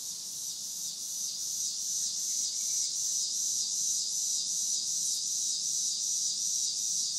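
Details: Cicadas calling on a summer evening: a dense, continuous high buzzing shimmer with a steady pulsing roughly two to three times a second, holding an even level throughout, with no other clear sounds.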